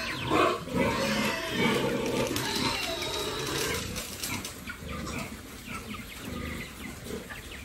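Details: Farm pigs raised by a family, giving loud harsh squeals early on that fade into rougher grunting and rustling, with constant background noise throughout.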